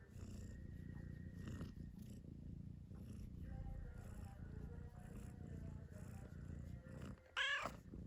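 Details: A sleeping cat snoring: a soft, steady low rumble with a rough, purr-like texture, continuing throughout. A brief brighter noise breaks in near the end.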